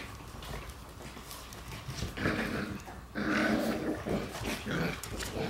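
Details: Female Shiba Inu puppy born December 22 giving rough, harsh growling barks in short bursts, one loud burst after another about once a second in the second half, over a faint steady background hum.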